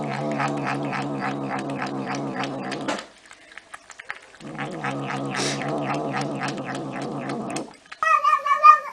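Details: Domestic cat in a compilation of meowing, purring and talking cats: two long bouts of rapid, buzzy pulsing on a low, harmonic-rich tone, split by a short pause. A brief high wavering call ends the clip.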